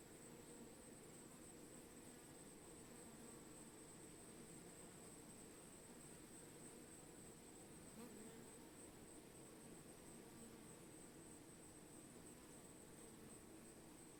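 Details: Bees humming in a steady, continuous low drone with faint tonal bands. The pitch stays constant throughout, broken only by a brief click near the middle. A thin high-pitched hiss runs steadily underneath.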